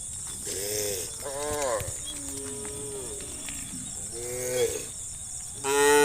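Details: Cows wandering through rural fields call their herd mates. Several short moos come in a row, then a lower, softer low. The clip ends with a sudden loud moo over a steady high-pitched hum.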